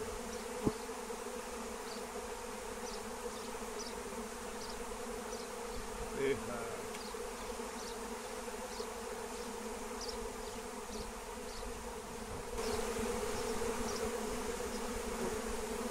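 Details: Massive wild honeybee swarm flying during a capture with lemon balm plant: a thick, constant buzzing drone with one brief sharp knock early on, a short louder rustle midway, and the hum swelling slightly near the end.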